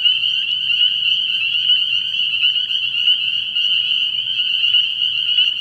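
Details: Dense night chorus of spring peepers at a frog pond early in the year, countless high shrill peeps merging into a continuous ringing whine with faint overlapping pulses, no other voices standing out.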